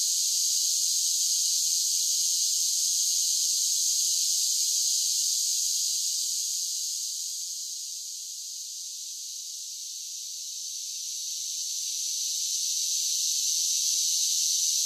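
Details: Summer cicadas singing in a dense, continuous high-pitched buzzing drone. The hiss sits well above the low range, is steadiest around its middle pitch, and softens for a few seconds midway before swelling back to full strength.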